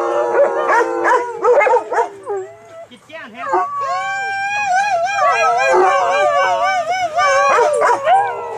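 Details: Several male dogs serenading the crowd at a dog park for a birthday; overlapping wavering howls, some yips early on, then a long chorus of rising and warbling tones.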